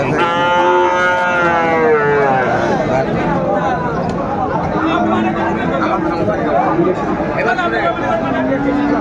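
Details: Sahiwal bull calves at Raniganj cattle market, held Mondays and Thursdays, on Thursday 20 February 2025: a long, drawn-out harmonic moo over the first three seconds, then men talking and crowd chatter with brief lower lowing.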